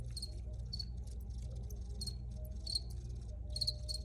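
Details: Crickets chirping in spaced bursts about every second, each a short trill of high pulses, over a low droning background.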